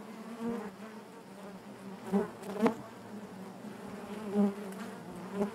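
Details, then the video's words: Steady droning hum of honey bees within the hive, low and continuous, broken by a few short louder swells and sharp knocks near the middle and end. "bees therapy hive natural buzzing sound"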